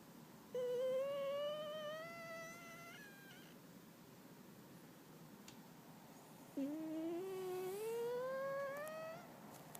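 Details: Sleeping Chinchilla Silver cat snoring, said to sound like a do-re-mi-fa-so scale: two long whistling, tonal snores, each gliding steadily upward in pitch for about two and a half seconds, separated by a quiet pause in a small indoor room.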